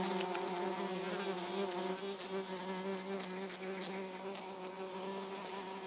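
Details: Xylota segnis, the orange-belted hoverfly, humming continuously with a low, even wing drone and bright overtones; the buzz wavers slightly in pitch and fades a little toward the end.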